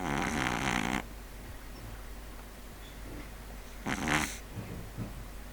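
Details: Sleeping pug named Neil giving two rough, rattling snores, one long at the start and a shorter one about four seconds later, with soft noise between.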